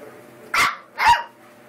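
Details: Eight-week-old American Eskimo Dog puppies, a litter of males, one giving two short, sharp, high yapping barks about half a second apart, each bright and noisy, with quiet room background between them.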